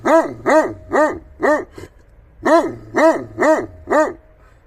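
A Tatra Shepherd Dog gives two quick runs of four deep, resonant barks, with a short pause between.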